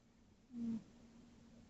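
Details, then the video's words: Tootsie, a sleeping tabby cat, gives a single soft snore lasting about a quarter second, a low droning hum with a faint overtone, in a quiet indoor room. "Tootsie time: snoring"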